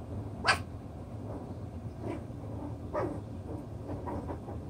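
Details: Six-week-old chocolate brown Toy Poodle puppies at play, sorting out their pecking order: one sharp, loud yip early on, then a few softer short yelps over a steady low background rumble.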